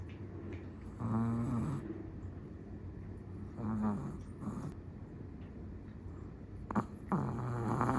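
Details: Snoring of a sleeping Chihuahua: three low, rattling breaths spaced a few seconds apart, each a short throaty buzz with wavering pitch, separated by soft room noise and small clicks.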